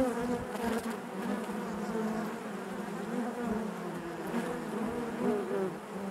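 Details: Honey bees inside their hive buzz together in a low, continuous drone with a faint higher overtone, the hum swelling, dipping and wavering gently in pitch as individual wingbeats drift in and out.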